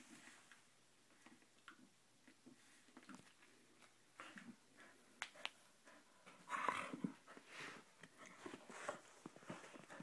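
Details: Pet dog playing in a basement; quick breathy huffs and panting, about four per second, with a short playful growl and yip in the middle and scuffling sounds.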